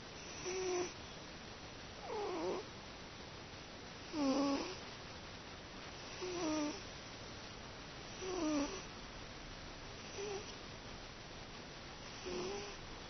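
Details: Teto, a pet cat, sleeps comfortably and snores like an old man. Rough, harmonic snores come in regular bursts about every two seconds, seven in all, over a soft steady hiss.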